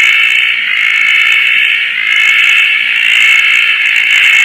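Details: Roth's tree frog calling at night in Koah after rain, perched on a tarp in lush surroundings; a loud, continuous rasping, ratchet-like trill holding a steady mid-high pitch, gently pulsing in strength without pause.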